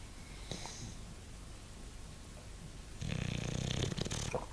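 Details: Bulldog snoring: quiet breathing at first, then one loud, harsh snore lasting just over a second near the end, a deep rattling rumble with a raspy hiss on top.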